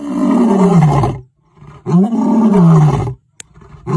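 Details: Lion at a zoo roaring: two long, deep, loud groaning roars, each about a second, falling slightly in pitch, separated by a short pause.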